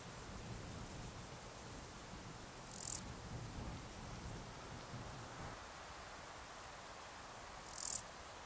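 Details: Male Stal's Saddle Bush-cricket, Lluciapomaresius stalii, calling in the Sierra de Guadarrama on 13 July 2019. Two brief, very high, hissing chirps sound about five seconds apart over a low rumbling background.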